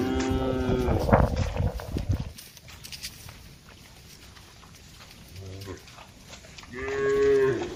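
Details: Grazing herd of tame cattle on a wide green pasture, mooing back and forth: a loud lowing call fades into rustling at the start, a faint short call follows midway, then a rising, clear moo closes.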